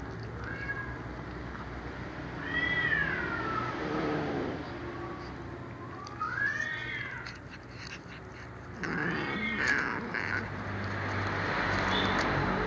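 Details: A cat meowing in the background while a black cat eats fried fish; several arching, wavering meows rise and fall, spaced a few seconds apart, over steady low hum and background noise.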